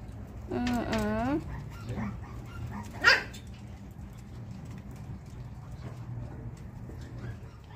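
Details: Pomeranian dog downstairs, dated 11.6.22: one wavering, high whining yelp of about a second that bends up and down in pitch, then a sharp brief knock and a low steady hum in the background.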